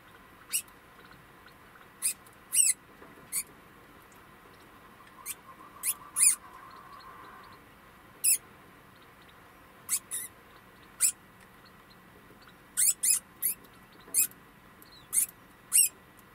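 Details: Captive degu after giving birth, recorded on 26 August 2020 at 22:28. Brief, very high squeaks come irregularly, sometimes in quick pairs or triplets, over a quiet hum.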